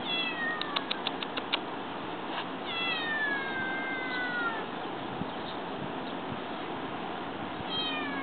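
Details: Bengal kitten talking or whining: a few short meows with stacked harmonics open the clip, then a long drawn-out meow sliding downward near three seconds and another brief one at the end, over steady background hiss.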